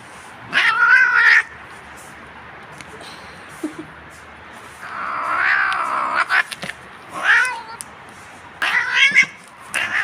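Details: Domestic cat being combed, giving loud drawn-out meows with a wavering pitch, about four separate calls spread across ten seconds, with a woman speaking softly between them.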